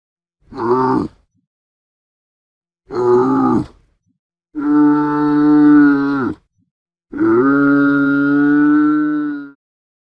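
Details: Camel grunting and bellowing: two short rough grunts, then two longer, deep droning bellows of about one and a half to two seconds each, separated by silent gaps.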